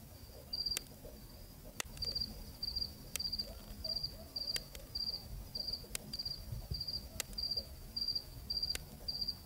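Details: Cricket singing on a cool Zambian night, field recording: high, evenly pulsed chirps of three to four fast notes, about a hundred per minute, continuing steadily over quiet low-frequency background noise.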